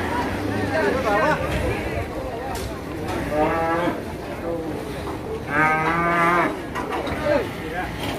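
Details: Agitated cattle at the Masbagik animal market in NTB, Lombok, Indonesia, giving several drawn-out moos with strong harmonics, the longest near the end, over steady crowd chatter and a man talking.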